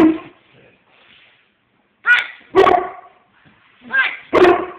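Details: Pet bulldog Beavis objecting to being zerberted, with a mastiff named Bailey also present; sharp yipping barks in two close pairs, around the second and fourth seconds, after a short vocal start and a quiet pause.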